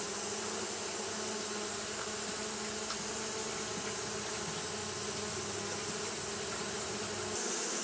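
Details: Fanning Japanese honey bees on a hot day give an unbroken whirring drone with a bright hiss on top, a faint tick near the middle, and a brief shift in tone near the end.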